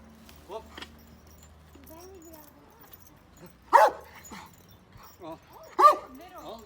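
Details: Pet dog at a grandfather's farm, giving two loud, sharp single barks about two seconds apart, with a person talking in Turkish between and around them.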